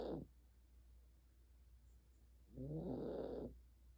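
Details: Elderly Maltese sleeping and snoring: one long, rasping, throaty snore after a quiet gap, following the tail of a previous one in a still room.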